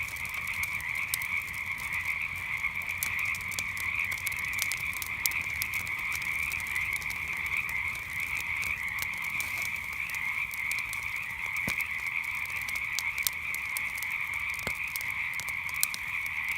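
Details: Frogs calling at night next to a crackling campfire, their massed calls forming a continuous buzzing wall of sound while frequent snaps and pops from the fire cut through.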